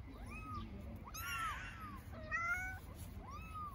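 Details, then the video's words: Homeless street kittens in Istanbul calling for the mother cat, giving four plaintive arched meows within a few seconds, one rising then falling, against a low rumble of city noise. "Baby kittens living on the street meow for mother cat"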